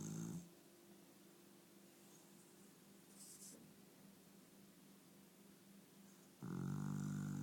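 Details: Pet dog asleep indoors, snoring: a low buzzy snore trailing off at the start, a long quiet stretch of faint breathing with a brief rustle, then another loud, rattling low snore begins near the end.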